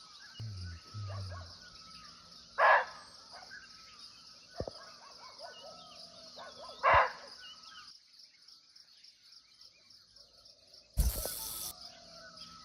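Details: Nepal forest recording of a barking deer (muntjac), not visible but near: two harsh single barks about four seconds apart. A shrill insect chorus runs throughout, with low rumbles and a loud rustling burst near the end.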